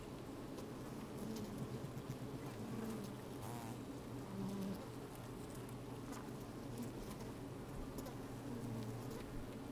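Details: Honey bees busy at work inside an open hive on a fine, sunny day, microphone slid down into the hive; a low steady droning hum with brief rising buzzes and crackling movement, a little wind.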